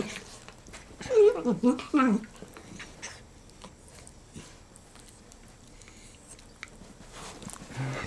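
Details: Black and tan dachshund brothers Manny and Franky, rescued from Georgia, resting after wrestling: one brief burst of wavering, yodel-like whining grumbles, then mostly quiet with faint rustling and a soft low sound at the end.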